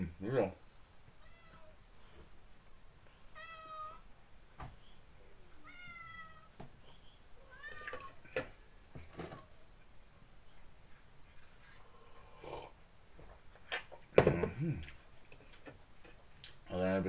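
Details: Male ginger house cat at breakfast, asking for sandwich from the plate; a run of short, high meows, several in quick succession, some rising and some falling, mixed with a person talking softly and clinks at the table.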